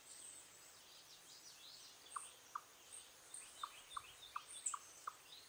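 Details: Eastern chipmunk in the wild giving warning calls: short, low, knocking chucks in an irregular run of about seven in the second half, with faint bird chirps higher above.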